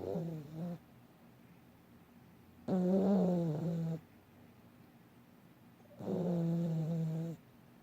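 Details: Dog snoring and dreaming in its sleep: three groaning, nasal, tonal snores of about one to one and a half seconds each, coming every three to four seconds with quiet between them.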